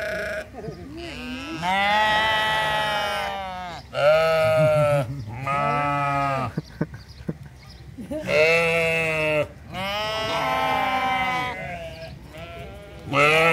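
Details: Several sheep bleating together at the Toronto Islands Centre Zoo, a chorus of loud, drawn-out quavering bleats following one another with brief pauses, some higher and some lower, with a few soft clicks between calls.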